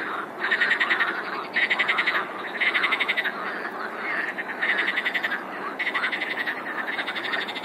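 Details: Frog. Several frogs call together in a dense chorus, each burst a fast rattle of pulses lasting roughly a second. The bursts come in quick succession and overlap, forming a steady, throbbing wall of croaking.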